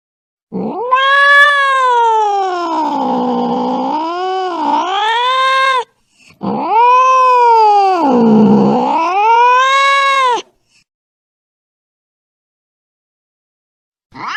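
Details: Angry domestic cat yowling in two long, wavering howls of about five and four seconds, pitch dipping and rising like a siren, with a brief start of a third at the end; no other sounds.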